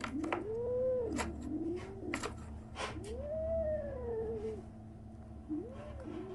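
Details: Kitten 37 days after birth making strange noises: a run of arched, wavering meows, four or five in six seconds, each rising and falling, with sharp clicks and rustling between calls.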